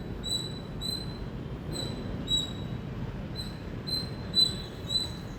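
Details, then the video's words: Loud Indian squirrel chirping, with clear, high, squeaky notes repeated in an uneven rhythm, some doubled, over a low background murmur. "Loud Squirrel Chirping Sound"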